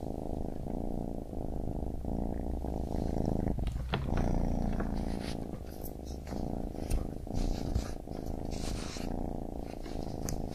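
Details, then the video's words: Baby kitten purring in a low, throbbing rumble with regular breath breaks, accompanied by scratchy rustling and brief higher clicks in the second half. "Baby Kitten Purring"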